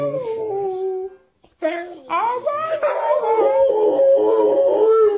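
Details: Domestic dog 'talking' in a small room: a drawn-out descending howl, a brief silence, then a sequence of warbling, pitch-bending whines and yowls that shift up and down almost like speech.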